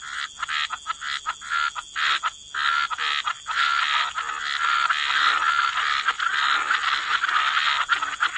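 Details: Wetland frog chorus: scattered staccato croaks in the first seconds, then many frogs overlapping into a thick, unbroken rasping drone over steady high background hiss.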